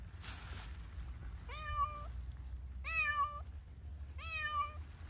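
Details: Free to play in Pushkin Park, Zoey the cat meows three times, roughly every one and a half seconds, each call a clear harmonic tone that climbs then holds; soft low background hum and a brief rustle at the start.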